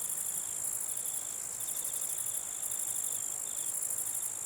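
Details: Massed grasshoppers humming at night, a steady, very high sizzling drone with pulsing bursts, while a fainter, lower insect trill comes and goes in short bursts roughly every half second to second.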